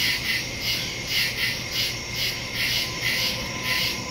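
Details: Crickets in woods at night, recorded September 2, 2023 on a Samsung Galaxy S22 Ultra phone with a Shure MV88+ stereo microphone; dense high shrill chorus pulsing in swells about twice a second, with a faint low steady hum beneath.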